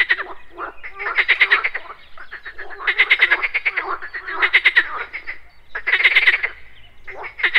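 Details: Morning pond chorus of frogs croaking amid buzzing insects; rattling pulsed croak bursts lasting about a second, repeated roughly every one and a half seconds, several frogs overlapping.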